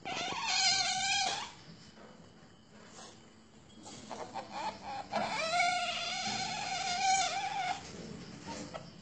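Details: Asian palm civet at a breeding farm, giving long, loud harmonic wailing cries around one to two seconds and later nearly three seconds, rising then sliding down, with rustling and clatter between them.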